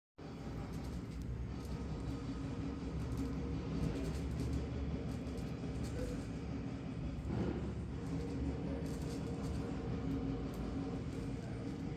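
Steady low rumbling of a vehicle or train with faint voices, and no animal sound.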